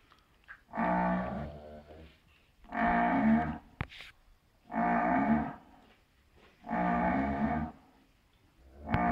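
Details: Pedigree Shorthorn cow moaning while bringing up her cud to chew, a habit since calfhood and not a sign of pain; four deep, drawn-out groaning moans, each about a second long, repeated roughly every two seconds.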